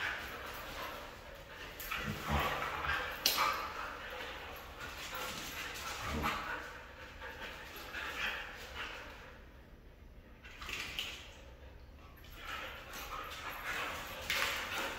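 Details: A red female Siberian Husky gives a string of irregular whines, yips and short barks.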